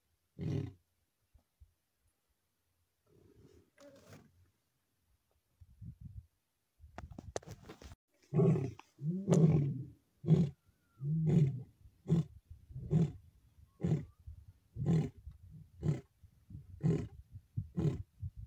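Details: Wild male lion in the Maasai Mara, 7 July 2024, while chasing another male lion. After a few scattered low sounds, a roaring bout builds into about eleven deep grunts repeated roughly once a second, loudest early and fading gradually.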